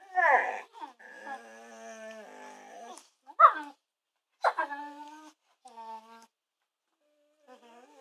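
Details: Early-morning whimpers from two pet dogs, a kelpie and a kelpie-labrador cross, waking the household: a long quavering whine, then several short sharp yips and falling whimpers spaced a second or so apart, fading out at the end.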